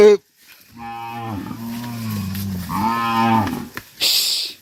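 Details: A tame cow among dozens herded back to a farm pen gives one long, steady, deep moo lasting nearly three seconds with rich harmonics, bracketed by short clicks and a hiss at the end.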